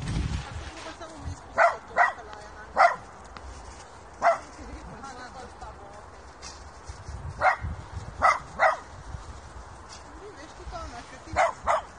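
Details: At a puppy school session where 5-month-old Kooikerhondje Mini makes friends with Tibetan Mastiff Popo, a dog gives scattered sharp yips, singly and in pairs, while people talk in the background throughout.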